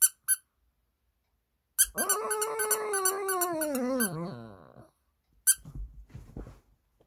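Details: Shih Tzu responding to a squeaky doll with a sad howl indoors. Squeaks come first, then a sustained, slightly wavering wail that slowly falls in pitch and fades over about three seconds, followed by more squeaks and soft rustling.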